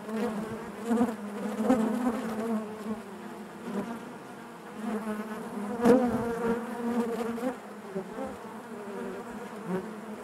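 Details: Dense droning of honey bees in their hive, a low vibrating hum that swells around one, two and five seconds, with a faint tap near six seconds.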